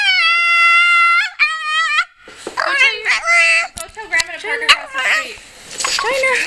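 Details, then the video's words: China, an emotional female Pekingese, gives a long steady high whine lasting about a second, then a second shorter wail, followed by a jumble of wavering cries overlapping with a person talking. "Dog's Insane Crying"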